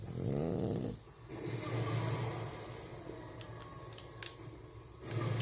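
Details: Sleeping French Bulldog snoring and rubbing its face: a rough, low snore opening, a long softer drawn-out rumble after, then another snore starting at the end, with faint rustling clicks.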